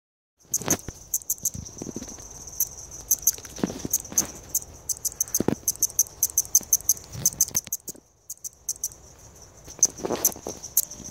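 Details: A balloon-winged katydid (Tympanophora andreae) calling with a thin, steady, high-pitched whine under a scatter of sharp clicks; finding: Balloon-winged Katydid.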